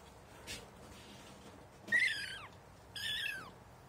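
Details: Kitten meeting cat litter for the first time: a faint tick, then two high, thin meows about a second apart, each sliding downward at the end, over quiet indoor background.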